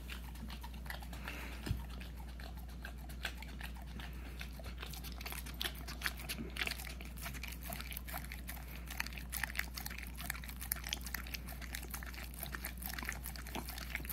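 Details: Hunter, a puppy almost a year old, eats peanut butter indoors: a steady run of wet smacking licks and soft clicking chews, with a faint low hum underneath throughout.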